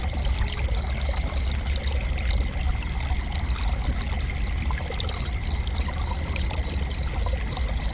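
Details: Cricket chirping for relaxation: three runs of rapid high chirps, regular and evenly spaced, broken by short gaps, all layered over a loud continuous low pouring-water sound and a faint steady high drone.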